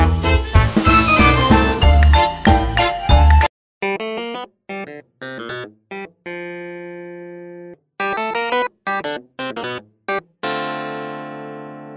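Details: Electronic piano and keyboard music with choppy, stop-start phrases and sustained chords, with no animal sound.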